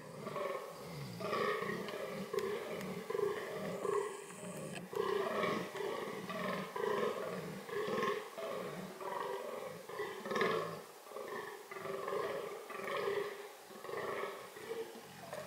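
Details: Fallow deer (Dama dama) during reproductive behaviour: a long run of belching, harmonic groans repeated roughly every second, varying slightly in loudness, with a brief hiss near the start.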